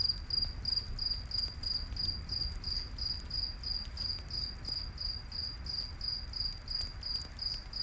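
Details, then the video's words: Steady high-pitched cricket chirps, several per second, fill a nighttime forest scene by a campfire, with faint crackling and a low background rumble. "Campfire In The Night Forest w/ Cricket Sounds"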